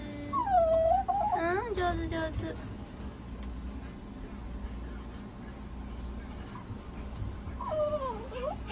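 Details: Papillon named Papi-chan under treatment at a Nagoya animal clinic, receiving inhalation and oxygen therapy; thin, wavering whines rise and fall in two bursts, at the start and near the end, over steady machine hum with soft music and a calm human voice.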